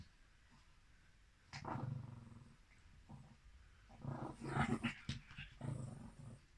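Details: Female Mal-Shi, a Maltese and Shih Tzu cross born July 2017, sneezing indoors on 14 November 2020: a few rough, noisy snorting bursts with a low rumbling undertone, spaced a second or two apart.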